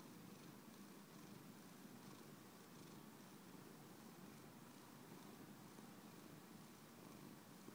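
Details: Purring house cat, a faint steady low rumble with gentle rhythmic pulses under a hissy background, continuing without pause.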